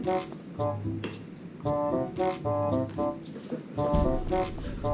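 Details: Keyboard music plays indoors in a small room, with faint talking and no animal sound.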